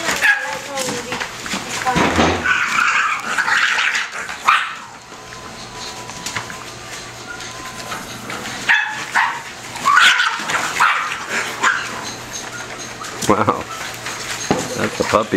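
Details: Five-and-a-half-week-old bulldog pups in a play fight: scattered shrill yelps and short puppy barks come in clusters, easing into a quieter stretch midway before flaring again, while a person speaks nearby.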